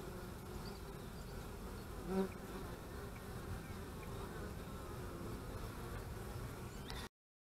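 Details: Honey bees at the hive on March 25, 2015, during beekeeping: a continuous low hum of many bees with a short louder buzz near the middle, ending abruptly.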